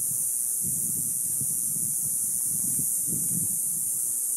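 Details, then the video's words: Cicadas in neighborhood desert trees just after sunset on a summer night give a steady, high, hissing buzz that holds unbroken throughout, over low rumbling. "Sounds of Cicadas"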